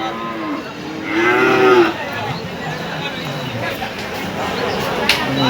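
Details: At the Hazratpur cattle market, a single rising then falling moo swells and fades in under a second. A man's Bengali commentary about the cattle, light background music and market noise continue around it.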